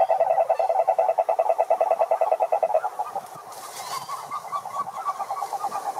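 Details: Wild cururu toads (Rhinella marina) calling at a lake in Brazil's Atlantic Forest: a fast pulsed trill at a steady mid pitch, with a fainter overtone band. It fades after about three seconds into softer, overlapping pulsing from other callers.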